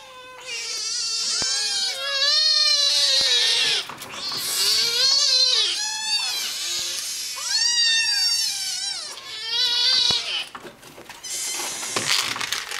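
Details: Five hungry kittens and their pushy mother cat demand food indoors, a chorus of loud, overlapping high meows with rising and falling wails, almost continuous across the stretch.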